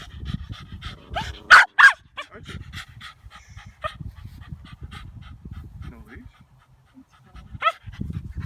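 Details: Puppies meeting for the first time, one described as really tired; rapid panting with a few sharp high yips, a loud burst near the start, and people talking nearby.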